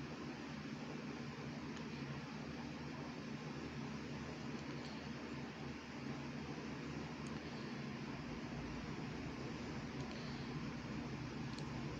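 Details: Only a steady mechanical hum, like a fan or air conditioner, with a low drone and no meowing or other animal calls.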